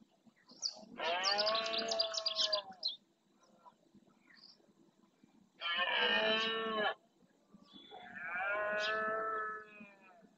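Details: Red deer stags roaring during the rut in the marshes of Doñana National Park, Spain, claiming territory: three long, hoarse, harmonic-rich bellows of one to two seconds each, separated by short quiet gaps.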